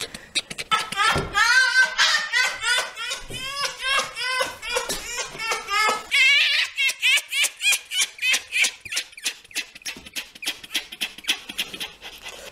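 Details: Red fox (Vulpes vulpes) giving a fast, chattering run of harsh harmonic pulses, about three per second, in long bursts with brief pauses, in a quiet setting.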